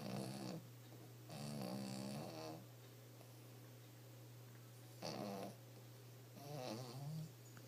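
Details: Sleeping dog snoring softly, raspy rattling breaths in bursts of about half a second to a second, separated by quiet pauses, over a steady low electrical hum in a quiet room.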